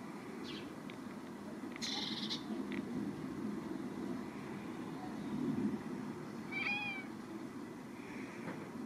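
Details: A Scottish Fold cat, hiding under a blanket, gives short, agitated meows and chirps, angry at birds it cannot reach.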